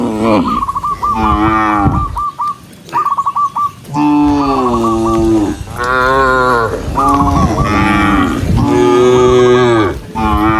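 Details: Tame cows being herded along a peaceful countryside road, running together: several drawn-out, rich harmonic moos that rise and fall, some overlapping, with series of short, high chirping notes in between.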